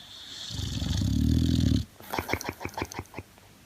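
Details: Sleeping male Boxer snoring: one long, loud, low rumbling snore lasting over a second, followed by a quick series of short soft snorts and puffs repeated about four times a second, indoors.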